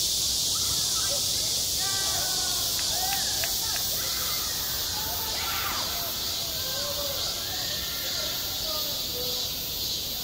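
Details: Cicadas buzzing loudly at a school playground in high summer, a constant bright hiss overhead, while children's shouts and chatter rise and fall more clearly in the background.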